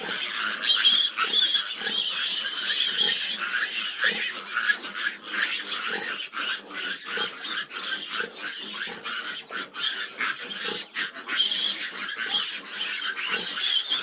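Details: Fifteen big piglets crowd a sow that is struggling to nurse, squealing nonstop: piercing, overlapping cries with short grunting pulses, louder bursts near the start and again toward the end.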